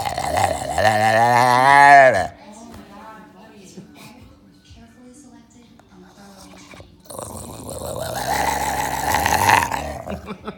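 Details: A brown and white bulldog gives a drawn-out, warbling moan whose pitch wobbles up and down while a finger rubs its mouth.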